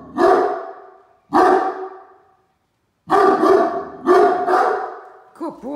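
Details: Alarm barking from Great Dane watch dogs Mikey and Ellie at a truck arriving in the driveway: deep, booming single barks, then quick doubled barks after a short silence, ending with a faint whine.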